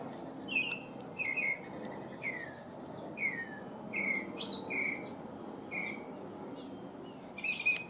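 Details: First outing above ground for two young California ground squirrels: single sharp chirps dropping in pitch, repeated roughly once a second, about nine in all, over quiet outdoor background.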